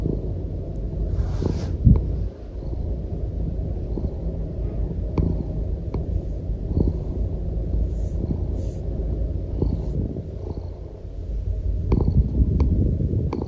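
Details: Norwegian Forest Cat purring while lying contentedly on its owner, a loud deep continuous rumble with breath-paced pulses, plus brief rustling and soft clicks of movement.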